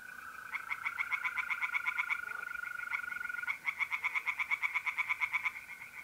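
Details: Pond tree frogs in north-east Italy singing at night in mid April, fast regular series of clipped, pulsed croaks running almost without a break, layered over the constant high trilling of mole crickets.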